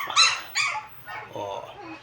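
A Chihuahua gives two sharp, high squeaky yips, then a softer, lower whine-like sound.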